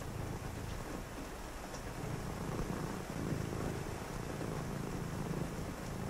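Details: A cat's low, rumbling purr on a rainy evening of reading, steady and buzzy with a faint breath pause, beneath continuous rain.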